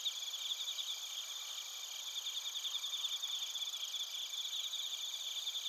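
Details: Bell crickets and other crickets recorded in Narita, Chiba, Japan, on a TASCAM Portacapture X8: a dense, steady high-pitched chorus of overlapping pulsed trills and ringing tones, with no other sounds standing out.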